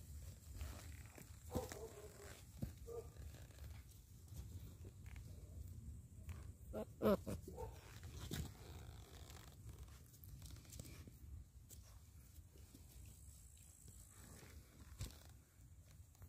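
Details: An 8-week-old American Staffordshire Terrier puppy gives its first growls, low and rumbling, with a few brief higher-pitched yips.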